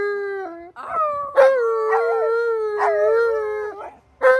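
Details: Alaskan Malamute named Tonka howling on request during a howling lesson: a short yip, then one long, steady mid-pitched howl that slides gently downward before fading, with a brief rising note at the close.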